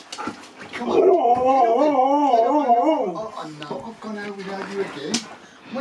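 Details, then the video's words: Nook, a Siberian Husky at home in Cornwall, UK, talking while telling off her owner: a long wavering, warbling woo-woo run of about two seconds, then lower, steadier drawn-out tones, with a person speaking nearby. "HUSKY at HOME ~ Nook TALKING, shouting, bieng SILLY"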